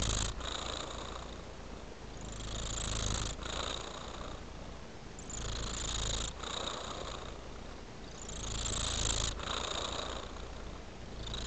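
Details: Tabby cat (Felis catus), purr.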